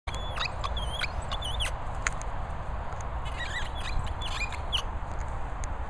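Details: Staffordshire Bull Terrier named Molly squeaking, thin high wavering squeaks rising and falling in short repeated bursts over a steady broadband background hiss.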